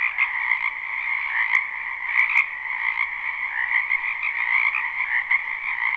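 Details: Spring wetland frogs in full chorus, recorded live without looping: a thick, continuous croaking drone with bright overlapping trills and a few sharp clicks standing out briefly near the middle.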